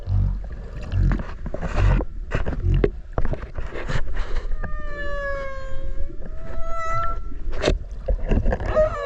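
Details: Whale recorded underwater off Okinawa while swimming alongside it: a cluster of drawn-out tonal cries, gently rising then leveling, fills the middle seconds over a bed of low rumbling water noise and clicks.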